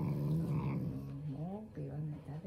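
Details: Shiba Inu growling playfully indoors, not angry, an affectionate expression toward its owner; a low rumbling growl with rising and falling whines over it, while a woman talks to the dog about eating.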